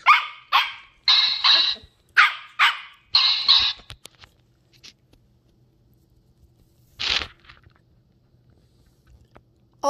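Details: Ten-week-old Shetland Sheepdog puppy named Ollie, a female, curious and discovering new things: a quick series of about eight sharp, noisy barks in the first four seconds, then quiet, one more bark near seven seconds.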